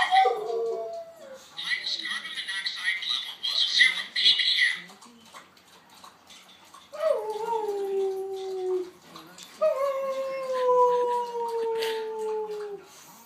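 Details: Boxer pup howling in response to a siren: after a stretch of faint siren-like tones and background noise, two long mournful howls each glide gently downward, the second lasting about three seconds.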